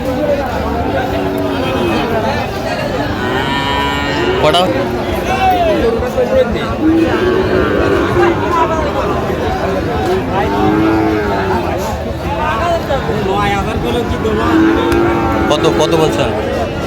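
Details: Sahiwal bull calves at a livestock market in Joypurhat on 20 October 2025. Several drawn-out, low lowing moos, some rising and falling, rise from a noisy crowd, with steady chatter and bargaining voices throughout.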